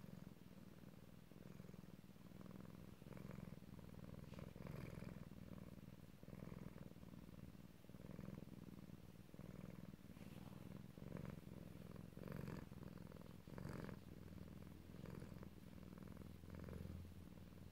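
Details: Male house cat purring loudly as he drifts off to sleep; a continuous deep, throbbing purr with regular inhale-exhale swells throughout, plus faint soft clicks and rustles.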